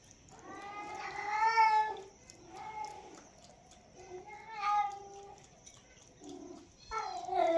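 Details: Cat at its milk meows repeatedly: a loud rising-falling wail, then shorter, softer mews, and a sharp final meow cutting in.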